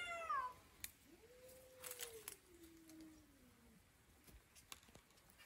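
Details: Domestic cat talking: a short high meow followed by a long, soft, low meow that slowly falls in pitch, with faint clicks and rustling around it.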